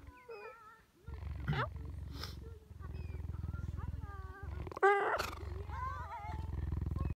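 A cheetah gives high, bending meow-like calls over a steady, deep, throbbing purr.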